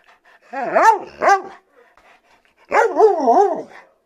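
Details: Siberian Husky loudly protesting, joyful yet indignant, because its owner was late with dinner: two bursts of warbling, talking-like yowls that rise and fall in waves, separated by about a second of quiet.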